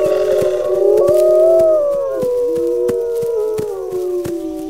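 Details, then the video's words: Several wolves howling together, long sustained overlapping tones that waver and slide slightly up and down, crossing one another; sharp short clicks tick through the whole chorus. "Wolves Howling"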